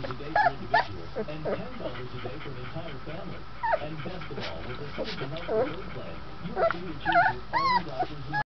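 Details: Young Golden Retriever puppy, 20 days old, gives scattered short, squeaky whimpers and yips, some rising and falling, spread across the recording amid nearby human talk.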